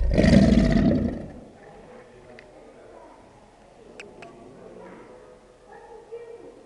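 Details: Bellow of an American alligator as the breeding season begins: a short, deep, vibrating roar of about one second opening the clip, followed by quiet with faint clicks.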